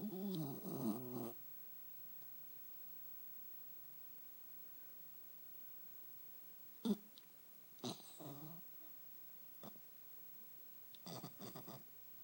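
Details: PugZee, a sleeping pug puppy, snoring indoors: rough, noisy breathy bursts, a long one at the start and then several short irregular snorts separated by quiet gaps.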